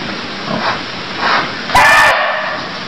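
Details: A single sharp, rasping bark from a barking deer in Cambodia cuts in near the end, preceded by soft rustling noise and steady background hiss.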